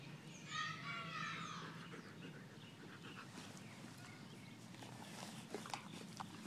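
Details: Pet German Shepherd named Sheba giving a high, wavering whine with stacked overtones, rising and falling over about one second, then fading into soft breathing and faint background noise.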